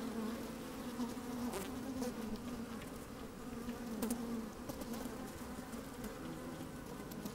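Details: Honey bees busy inside an opened hive on a sunny day with a little wind: a constant low buzzing hum, brief brighter buzzes near two and four seconds, and light scraping taps of bees moving over the microphone.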